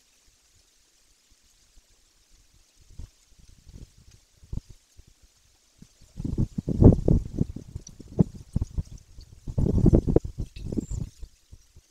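No animal voice, only low thumping and rustling, like handling noise or water pouring, that grows louder in the second half.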